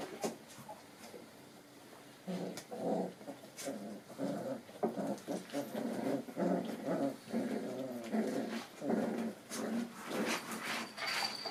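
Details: Puppies four and a half weeks old play-fighting with each other indoors; after a quiet start, low rumbling growls come in rapid, uneven bursts, roughly two a second, mixed with scuffling and an occasional higher whine.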